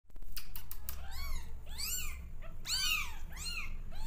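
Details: Rescued orphan kittens, hungry and crying for milk, bottle-fed after their mother cat would not adopt them. About six high, arching meows rise and fall, partly overlapping, over a steady low indoor hum.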